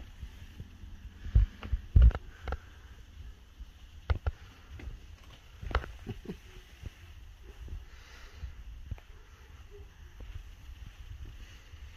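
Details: Low rumbling handling noise with scattered thumps and clicks, and no animal voice heard.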